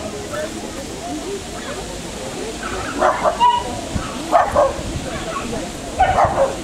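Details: Bull terrier at a CACIB-rank international dog show in Veliky Novgorod, Russia: three short, hoarse barking bursts spaced over several seconds, set against steady crowd chatter and nearby human speech in an indoor show hall.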